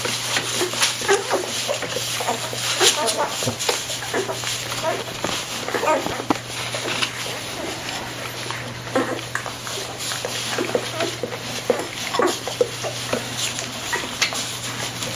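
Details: One-week-old golden retriever puppies at the Ligeti Borostyán kennel give soft, brief whimpers and squeaks scattered through the recording, mixed with rustling, clicking handling noises and a steady low hum.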